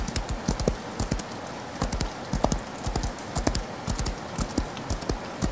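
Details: Galloping horse heard in rain, its hooves striking the ground in a rapid, uneven drumming pattern of low thuds, with constant rain patter and hiss behind.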